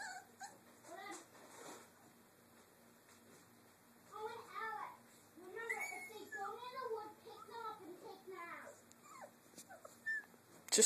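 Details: Three-week-old Doberman puppies playing in their cage area, giving short high squeaky whimpers and yelps in scattered bursts, with a child talking and room noise behind.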